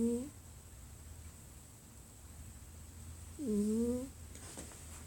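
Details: A domestic cat snoring indoors, giving two whistled, squeaky breath tones that swoop down then up, about three seconds apart, over a low room hum.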